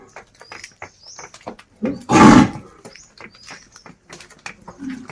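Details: Village desi bull calling a companion to come home: one loud, rough bellow of about half a second among scattered clicks and knocks, with faint bird chirps.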